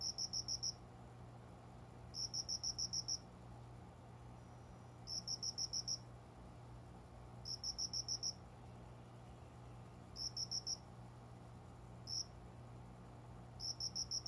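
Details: Unseen cricket singing at dawn, around five in the morning, among plants beside a window in a room in summer; sharp high chirp trains of several rapid pulses repeat about every two to three seconds, with a faint low electrical hum.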